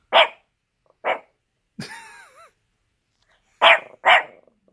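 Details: Angry Chihuahua in a blanket, giving loud, sharp barks, two early and a close pair near the end, with a whining, wavering yelp in the middle.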